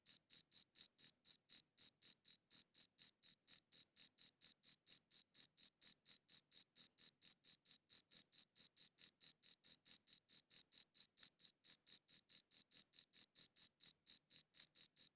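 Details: Steady cricket song captured on a quality recorder, a continuous train of short shrill chirps, about four each second, even in loudness and pitch throughout, against a silent background.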